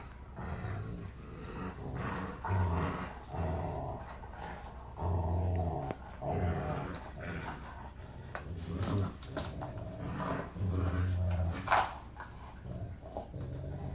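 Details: Huge Rottweiler Zeus plays indoors with Rottweiler puppy Kiya. Low, rumbling growls come in pulsing bursts, each about a second long, across fourteen seconds, with scuffling between them.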